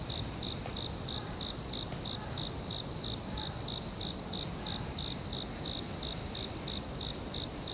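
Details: Crickets in a forest chirp in a regular high pulse, a little over two beats a second, against a sustained shrill drone and low background noise.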